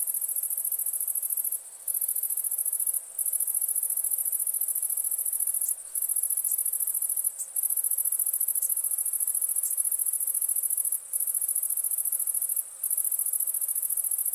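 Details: Cricket with a steady, very high-pitched, rapidly pulsing trill that carries on almost without pause, broken only by a few brief gaps.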